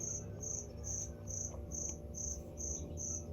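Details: Hidden cricket in a store keeps up its noisy calling: a regular series of sharp, high-pitched pulses, a little over two per second, against a faint low hum and soft background clatter.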